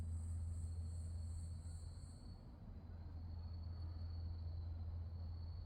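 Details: Grass insects calling at night in October 2024 at Wonhyosa temple on Mudeungsan, South Korea: a steady high trill runs throughout, with a higher pulsed chirping in the first half over a constant low rumbling hum.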